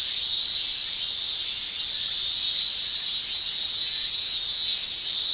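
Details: Summer cicadas in Japan, males singing with their tymbals; a piercing high shrill rises and falls in regular surges a little under once per second over a constant buzzing drone.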